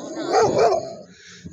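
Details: Female Bernese Mountain Dog puppy, four months old, gives a short two-part bark with a rounded, mid-pitched, slightly tonal voice lasting under a second, followed by quiet room sound.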